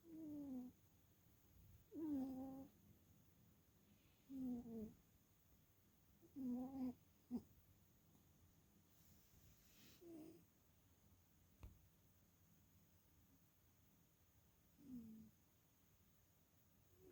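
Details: Sleeping domestic cat snoring, recorded on October 22, 2022 with two cats present: soft nasal wheezing snores with a slightly rising tone, repeated roughly every two seconds, some breaths silent, over a faint steady hiss.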